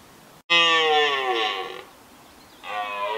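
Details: Red deer bellowing during the rut in Richmond Park: one loud, harsh roar lasting over a second after a sharp click, then a quieter second bellow starting near the end, with light background hiss.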